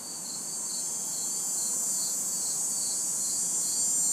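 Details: Crickets and cicadas in a city backyard on a hot summer night: a dense, steady, very high shrill drone swells louder throughout, with soft rhythmic chirps pulsing underneath and little else audible.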